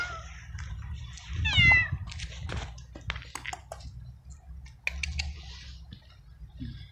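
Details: Stray cat abandoned in a garden gives a short, high rising-then-falling meow early on, amid rustling, clicks and handling noises that dominate the rest.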